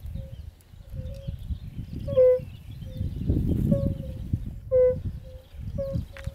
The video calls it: Kumak nizinny / European fire-bellied toad